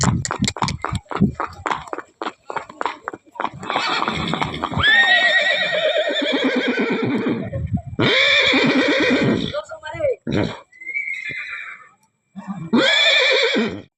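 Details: Newly bought Kathiawari horse gives a long, loud whinny that starts high and slides downward in a shaky, quavering tremble, followed by further harsh neighs; rapid hoof clip-clops open the recording, with people talking throughout.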